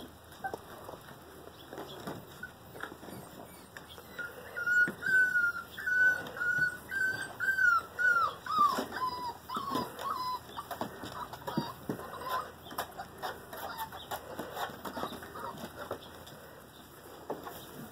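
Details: Five-week-old German Rottweiler puppies from a litter of seven males and three females give thin, high whimpers that waver up and down in a close series through the middle of the recording, over soft shuffling and pattering.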